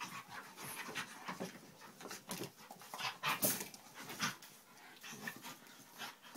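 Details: Dogs play fighting at home, heard as rapid ragged panting with scattered short broadband bursts of scuffling and snorts, fairly quiet and indoors throughout.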